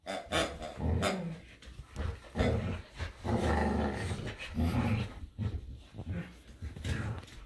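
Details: Samoyed and Keeshond, Luma and Zuko, tussling over a squeaky hedgehog toy in the yard in winter; dense rumbling growls with sharp barky bursts throughout, overlapping voices of two dogs at play.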